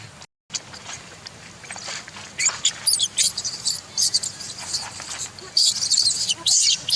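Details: Baby monkey, angry with its mother and wanting to breastfeed, gives shrill, high-pitched screeching bursts that start after a brief silence, grow more frequent and louder toward the end, and come in clusters of short squeals with faint background rustling.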